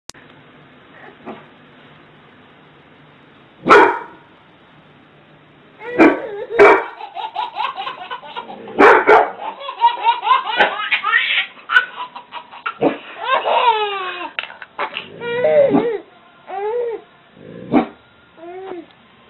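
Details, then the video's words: A dog barks repeatedly in short sharp bursts while a baby laughs after each bark, the giggles rising and falling in quick wavering runs; barks and laughter alternate irregularly, with some quiet gaps between. "Baby laughs every time dog barks"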